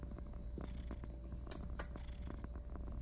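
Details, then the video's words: Purring female house cat expressing love through slow blinks at her owner; continuous low rumble with rhythmic pulses throughout, plus a couple of brief higher rustling or scratching bursts near the middle. "Purring kitty "says" I love you by slow blinks"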